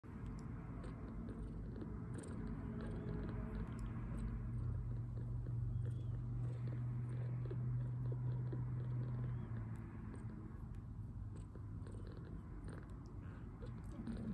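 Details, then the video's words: Two-week-old foster kitten, milk-drunk after feeding and recovering from poor health, purring in a steady low rumble with a brighter stretch in the middle; faint ticks and rustles around it. "2 week old purring milk-drunk kitten"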